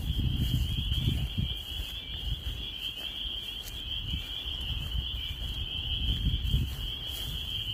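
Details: Spring peepers calling in spring in Maine, with snow still lying nearby: a dense chorus of high peeps merging into a steady shrill band, over low rumbling wind or distant traffic noise.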